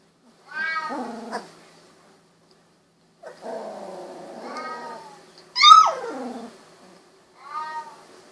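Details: Sixteen-day-old Golden Retriever puppies, their eyes just opened, produce drawn-out wavering whines in separate bursts separated by silence, the loudest a sharp falling squeal, in a quiet indoor setting.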